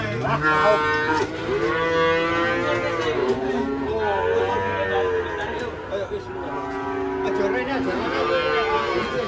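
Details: Rampaging cattle ending up in a ditch after leaving a truck; a continuous series of deep, drawn-out moos, some rising then falling in pitch, with faint human chatter underneath.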